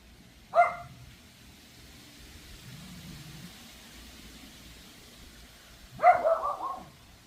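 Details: A neighbour's Pomeranian, recorded July 26 at 3:46 pm and described as barking and howling endlessly, gives a single sharp, high yap, then a quick run of yappy barks after a pause.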